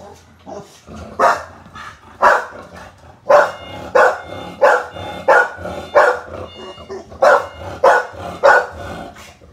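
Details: American Bully, the mother of Thatcher, in the Philippines, barking in a long series of loud, broad barks about one per second, some faint and some strong, with a low steady hum beneath and a trace of speech.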